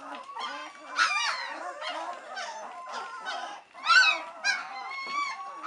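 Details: Several White Swiss Shepherd puppies, three weeks old, wait impatiently for mother Cova to come back for a feed. Drawn-out, honking whines rise and fall, with a loud upswept cry around four seconds and one steady, held whine at the end.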